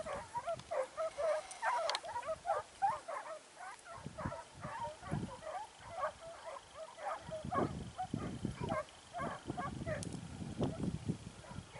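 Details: Segugio Italiano hound Sofiko training in Evros on 12 September 2018; quick yelping barks fill the first seconds, then grow sparser under low rumbling handling noise and human voices.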